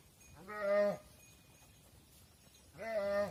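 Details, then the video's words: Mother cows entering a barn while their calves stay outside. Two short, clear, nasal moos, each under a second with a slight upward bend at the start, separated by about two seconds of quiet. "Mother Cows Entering the Barn While Their Calves Stay Outside | Farm Sounds"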